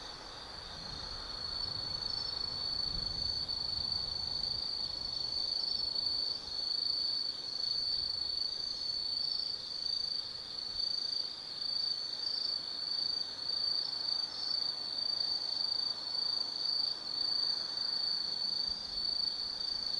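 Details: Forest insects on an autumn night at Tsukimi no Mori, Kaizu, Gifu, Japan, near an observation deck 180 m above the glowing Nobi Plain: a loud, unbroken high shrill trill with rapid pulsing, steady throughout with little other sound.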